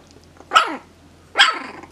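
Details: Three-and-a-half-week-old puppies from a litter give two short, high squealing yelps about a second apart, each sliding downward with bright harmonics, over a faint low hum.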